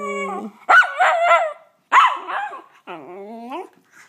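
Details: Miniature Schnauzer. A Miniature Schnauzer gives a run of short howls, each a tuneful, wavering yowl that swoops up and down. Some bursts open with a sharper, bark-like edge before sliding into a longer, falling moan.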